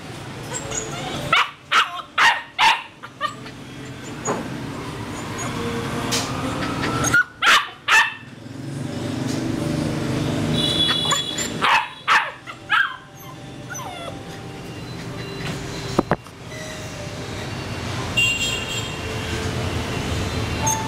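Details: Male purebred Rottweiler barking in Saigon, Vietnam, in short clusters of deep, rough barks separated by pauses, over a steady hum of traffic-like background noise.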